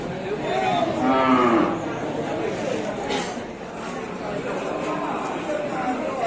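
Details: Large cattle at the Sibreh livestock market in Aceh Besar, Indonesia: one short, low moo rises from the constant crowd chatter and market noise, then the din continues.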